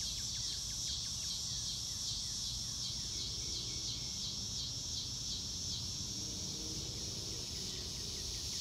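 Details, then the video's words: Nature ambience without music, dominated by a bright, steady cricket chorus with rhythmic pulsing. Quick falling chirps cluster early on, and a faint low drone appears in the latter half. "Nature Sounds - Real Time - No Music - Meditation - Crickets"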